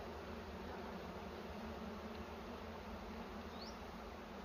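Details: Bees at a nest in a cashew plantation during a honey harvest, a steady dense low hum filling the whole stretch with broadband wind-like noise over it.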